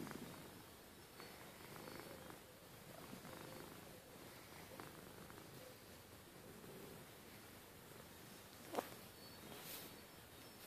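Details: Rustle, a pet cat, purrs at bedtime with an even, low continuous rumble; a sharp brief click or rustle stands out near the end.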